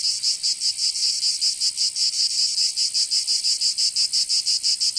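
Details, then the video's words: Cicada song on a summer day in Provence, southern France, a bright, harsh buzz throbbing in quick, somewhat uneven pulses, nearly three per second. "Canto Cigarra 🦗 [ Escuchar les cigarras en verano 10 H]"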